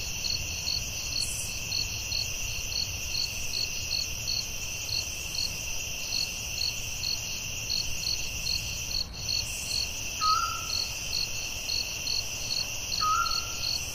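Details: Crickets chirping at night in the forest, a quick high pulsing beat over a sustained shrill drone; near the end two brief whistled bird notes sound a few seconds apart.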